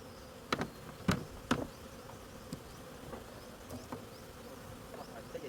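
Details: Bees buzzing during a honey harvest: a steady low droning hum runs throughout, broken by several sharp clicks and knocks in the first two seconds and fainter taps later.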